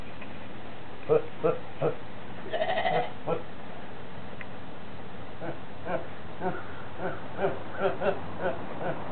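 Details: Horney, a goat said to go around laughing and sneezing all day, gives short, nasal, harmonic bursts: three quick ones, a denser cluster, then scattered single pulses spaced about half a second apart over a low murmur of background voices.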